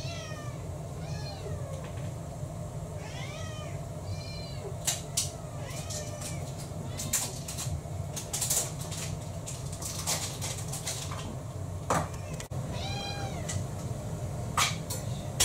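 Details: Domestic cats at mealtime in a home with six-plus cats: a run of four or five arching meows in the first five seconds, then clattering clicks and knocks like dishes and feeding, with one more meow near the end.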